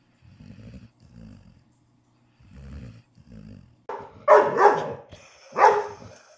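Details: Morning barking competition with Ludo the dog indoors: low rumbling growls in short bursts, then three loud, harsh barks close together.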